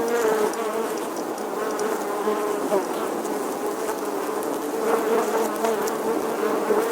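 A steady, dense hum of many bees buzzing together, a low droning tone with slight wavering.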